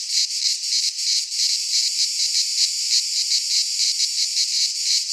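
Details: Midsummer cicada song from Greek pine woods: high, hissing buzz with quick rhythmic swells, several insects blending into one constant wall of sound.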